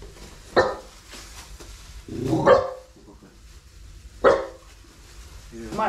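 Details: A Basenji (domestic dog) at home gives sharp, separate warning barks every couple of seconds at a stranger, a furniture repairman arriving at the door, with people talking nearby.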